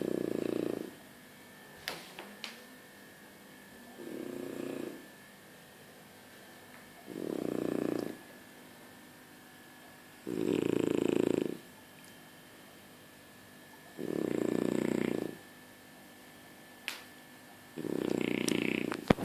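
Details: French Bulldog snoring in its sleep: six rasping, low snores spaced about three to four seconds apart, each lasting around a second, with faint clicks and room hush in between.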